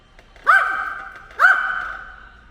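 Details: Ttori, a ten-year-old household dog that attacks drones, gives two quick harsh barks about a second apart, each ringing on with a fading echo in a quiet room.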